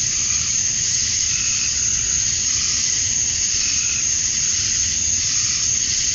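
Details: Cicadas at dusk on a summer night in Georgia, USA, the males chirping to draw females: a thick, continuous high-pitched buzzing wall of sound, steady from start to finish, with soft wavering overtones.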